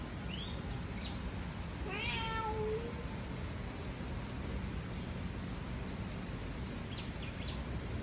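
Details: A cat meows once, a drawn-out harmonic cry that rises then falls, with faint bird chirps and steady background hiss around it.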